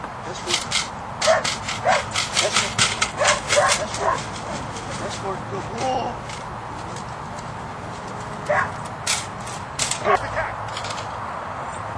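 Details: Ares, a two-year-old Belgian Malinois in French Ring training, preparing for competition: quick runs of sharp, loud barks through the first four seconds, then scattered single barks, with human voices speaking alongside and steady outdoor background noise.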